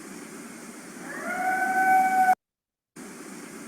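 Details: Coyote howl opening on a long, flat, steady note with clear overtones, rising gently in loudness for about a second before cutting off abruptly into silence.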